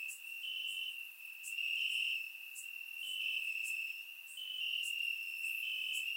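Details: Crickets chirping in grass at night on a warm summer night in Bulgaria, a steady high trill with slightly shifting pitch bands, brighter pulses swelling and fading every second or so, plus faint high clicks above.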